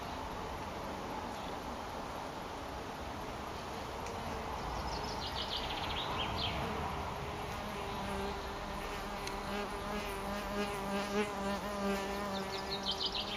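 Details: Mason bees on 21 April, some males newly out of last year's cocoons around bamboo and paper-lined plastic nesting tubes; a steady low droning hum swells in the second half, with high thin chirps and constant background hiss.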